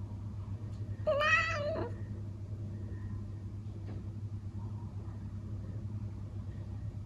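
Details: Indoor Traditional Siamese cat, also called Thai cat, in the Netherlands chattering at a bird seen through the window: one brief wavering, harmonic mew-like chirp, then quiet room noise with a steady low hum.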